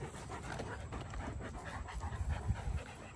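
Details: Female Doberman Pinscher at a park, panting while being exercised to tire her out; soft rapid breaths repeated about every third of a second over low rumbling background noise, with a person speaking afterwards.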